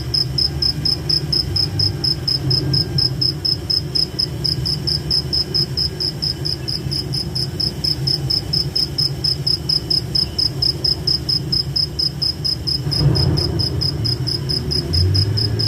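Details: Night forest cricket chorus: rapid, even, high-pitched chirps pulsing about four times a second throughout, over a constant low rumble with a brief soft thump near the end.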